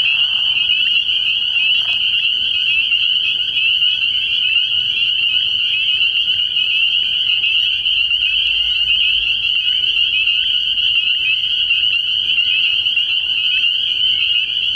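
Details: At a frog pond on an early-year night, a mass of spring peepers rings out with high, piercing peeps that blend into one steady, shimmering drone. A faint low rumble sits under it.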